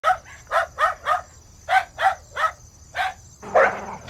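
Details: Dog barking: nine short, sharp barks in uneven bursts of two to four, each a quick clipped woof with bright overtones, separated by brief silences, and a rougher, noisier final bark near the end.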